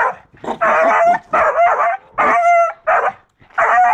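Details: A seven-month-old beagle named Rambo gives a few loud, sustained harmonic barks, one held as a steady tone, with short silences between.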